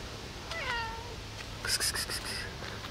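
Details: A hungry cat asking for food in the morning lets out a smooth, descending meow, followed by brief rustling and clicking noises indoors.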